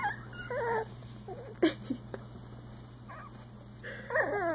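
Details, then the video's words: Playing Icelandic Sheepdog puppies, three weeks old, give wavering, nasal whimpering squeals in short bursts at the start and end, with a small grunt in between over a low steady hum. "Growl! Hop! 3 week old Icelandic Sheepdog Puppies"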